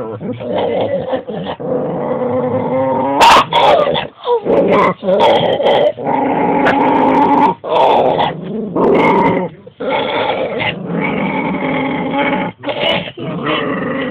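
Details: Guarding her big bone from another household dog, a female dog keeps up a bleating, goat-like growl in uneven pulses, with one sharp bark cutting in near the start.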